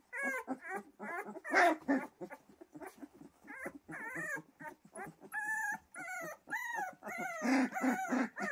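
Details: Pyrenean Mountain Dog puppies whining and yelping, with drawn-out tonal whimpers and short howl-like cries mixed with low grunts, several pups calling over one another almost continuously.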